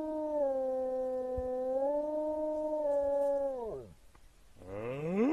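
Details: Wolves howling: a long, steady, low howl held for about three and a half seconds, sliding sharply downward at the end. After a brief gap a second howl rises upward, over a faint background hiss.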